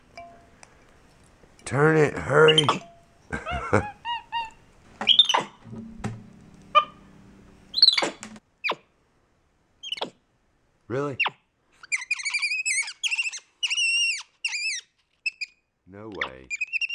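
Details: MonkeyBoo, a capuchin monkey kept as a pet, answering his owner indoors: human-like voiced sounds and knocks early on give way to a string of high, wavering chirps repeated roughly every half second.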